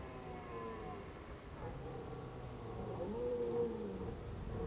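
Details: A red deer gives a long, drawn-out moaning call with a wavering, bending pitch, recorded in autumn (Indian summer) at Krasny Bor on 1 October 2015.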